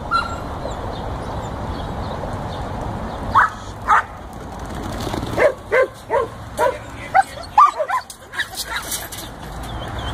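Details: A 14-week-old Border Collie pup herding sheep gives a run of short, high yipping barks, spaced roughly half a second apart in the second half, over a steady low outdoor rumble.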